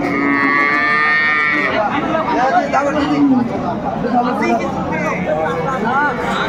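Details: Cows with calves at Aftabganj livestock market in Dinajpur, Bangladesh, on 30 June 2024: a drawn-out, tonal moo with rich harmonics in the first two seconds, then a shorter low lowing over constant crowd chatter and voices of traders.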